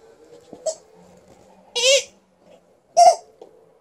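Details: Alaskan Malamute Liza, a female in a good mood, lets out two short, clear harmonic cries about a second apart, with a faint low hum and a small click earlier in a quiet room.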